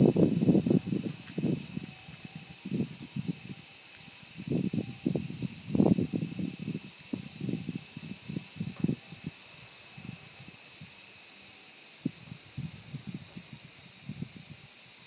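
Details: Cicadas in summer 2015: a steady, dense, high-pitched buzzing drone runs unbroken through the whole stretch, over irregular low thumps and rustling noise close by.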